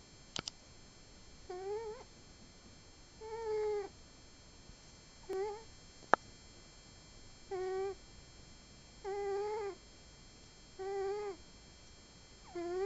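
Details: Pet cat Booboo snoring indoors: a tonal, droning snore with stacked harmonics, each about half a second long, coming roughly every two seconds in a steady breathing rhythm over a quiet room, with one sharp click.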